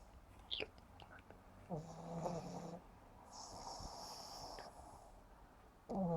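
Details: Yumax, a sleeping pug puppy just 7.5 months old, snoring indoors: one deep, buzzy, droning inhale with stacked overtones lasting about a second, then a long airy hiss of breath out, and another rasping snore starting at the end.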